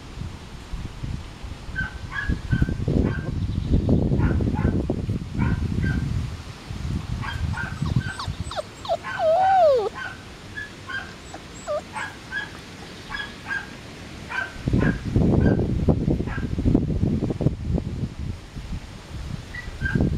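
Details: A Dancer x Azure litter of 5-week-old Samoyed puppies, 5 July 2014: clusters of short high yips and one drawn-out whine sliding downward, set against bursts of low rustling and bumping.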